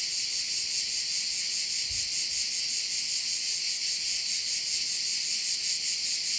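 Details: A chorus of crickets by a bay in Korčula, Croatia, a continuous bright, hissing trill pulsing quickly and evenly, with one brief low thud near the start.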